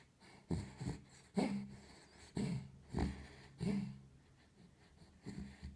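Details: Sleeping pet dog snoring indoors in a small room: deep, rasping, rhythmic snores roughly every second, each breath a low rumble with a short wheezy tail, pauses between bursts.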